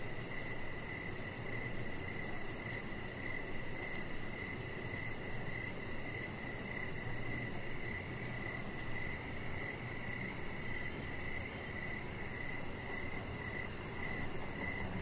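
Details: Crickets chirping in the evening, recorded outdoors from a deck: steady, high pulsed chirps repeating about twice a second over a constant low rumble of background noise.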